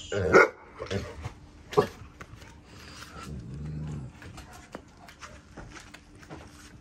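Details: Cane Corso guarding at night: two short sharp barks in the first two seconds, then a low rumbling growl lasting under a second, followed by quieter scattered clicks and background noise.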